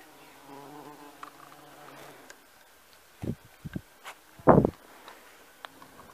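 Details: A bumblebee on honeysuckle in a garden gives a low, steady droning buzz, followed by a few sharp knocks and thumps.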